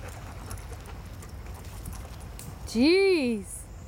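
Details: Dogs Gretta and Gordo at the river in Potters Park, one giving a single drawn-out harmonic whine that rises and then falls over about a second, above steady wind and water rumble, with a person talking to them just before.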